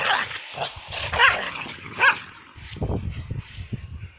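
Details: Worked-up dogs let out two clear, high yelping barks about a second apart, between rough breathy noise. Low thumps and scuffles follow in the second half.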